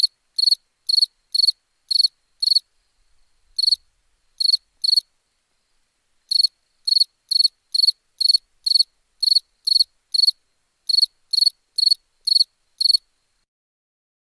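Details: Night cricket chirping in rapid runs of bright, high, rasping pulses, a little over two per second. Longer pauses split the runs, and the background stays silent throughout.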